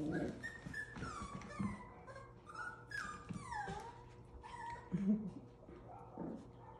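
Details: Seven-week-old Havanese puppies playing, giving clear sliding whimpers that fall in pitch, several overlapping, with soft low grunts and thumps between them and a faint hum in the background.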